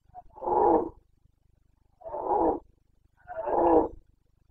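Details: Boncănit, the rutting roar of a Carpathian red deer stag, Bucovina mountains, breeding season 2022: three strong, rasping roars of nearly a second each, spaced about one and a half seconds apart.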